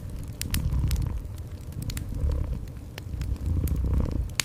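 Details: Cat purr, deep and throbbing, rising and easing in slow waves beneath frequent bright snaps and crackles of a burning fireplace in a small room.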